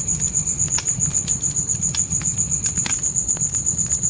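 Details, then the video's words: Short stretch of night crickets by a tent campfire: a high, metallic chirp pulsing quickly and regularly, roughly four beats a second, with loud crackling pops from the fire. "Fire & Crickets Night Ambience"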